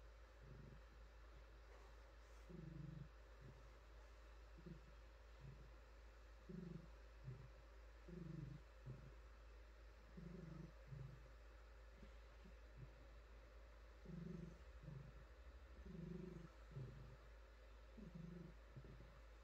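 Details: Female domestic cat being petted, purring softly: short, uneven low rumbling bursts, some brief and choppy, scattered through the stretch of quiet, mixed with gentle rustling of hands on fur.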